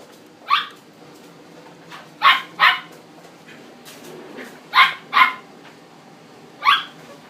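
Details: Male cream Chihuahua born 7 April 2016, at a pet shop: sharp high barks, single or in quick pairs, spaced a few seconds apart, over a quiet room background.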